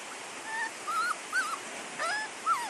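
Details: Labrador Retriever puppies, a litter of chocolate, black and yellow pups, making soft high whimpers and squeaks in several short bursts while a person talks about the litter.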